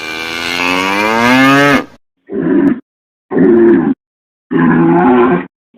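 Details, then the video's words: A cow or bull bellows, opening with a long sweeping moo that rises and falls, then three shorter coarse, evenly spaced calls. "BOI BERRANDO | SOM DE VACA | SOM DE BOI | TOURO BERRANDO | BOI MUGINDO | VACA MUGINDO - SOUND OF COW"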